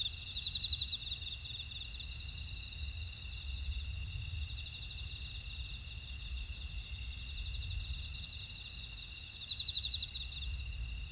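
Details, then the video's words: Steady insect chorus from a buckwheat field in Ora-dong, Jeju, South Korea; piercing continuous high trills stacked together, a regular beat of pulsed chirps about two and a half per second, quiet low-frequency background noise throughout. "제주 메밀밭의 풀벌레 소리"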